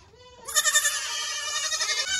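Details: Kidding season 2022 baby goat bleat: a soft lower call gives way to a loud, quavering, pulsing bleat lasting well over a second, amid a noisy pen full of young goats.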